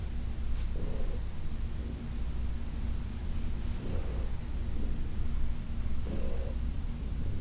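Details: Heidi, a senior domestic cat adopted from the Humane Society of New York City, purring steadily during a massage on August 4, 2021; a deep continuous rumble with soft breath surges about every two and a half seconds.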